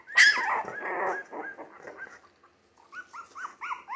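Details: A three-week-old Jack Russell Terrier mix puppy from a litter born 17 December 2020 lets out a loud piercing squeal that drops into a rough growl. A quick series of short, arched whimpers follows.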